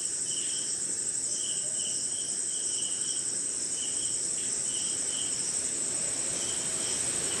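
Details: Crickets at night during rain somewhere in India, with other insects: a steady high shrill trill over broad rain hiss, plus short chirp bursts repeating a little over twice per second.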